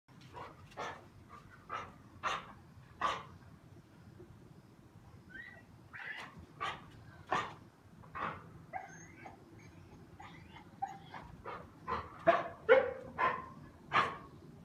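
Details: English Pointer giving short sharp barks indoors, irregular volleys of brief yaps with some higher whining notes between, quickening toward the end, about two per second at times.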